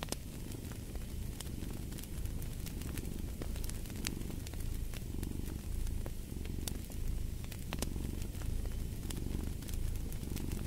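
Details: Cat giving a sustained, throbbing purr in repeating waves, low and soft, against a backdrop of crackling, popping firewood.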